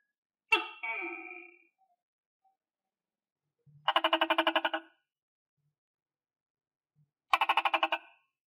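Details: Tokay gecko fed on crickets calls once with a harmonic two-part note, followed by two rapid pulsed rattling bursts of about a second each, spaced several seconds apart.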